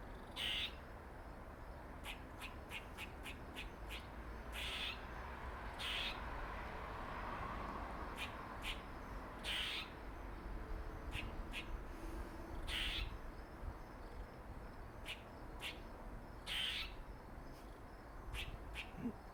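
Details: Dirty Face, a male squirrel with a dark mark on his face and thought related to Jerry, keeps up a long series of sharp clicks and periodic rasping buzzy notes every few seconds; steady low background noise.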